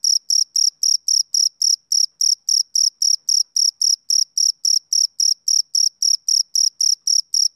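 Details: Summer-evening chirps from a male cricket: bright, shrill pulses in a regular, unwavering rhythm near four per second, with nothing else audible in the background.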